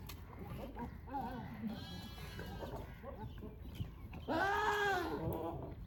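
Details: Goats during mating season, males wooing females with odd sounds and gentle touches: soft murmuring calls first, then one loud, strained, quavering bleat near the end over a low noisy background.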